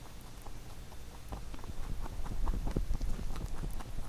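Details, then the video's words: Pet rabbit eating a carrot songpyeon made for Chuseok, recorded close up: rapid crisp crunching clicks, about two bites a second, growing louder midway, over a low steady rumble. "Rabbit eating sound with Carrot SongPyeon"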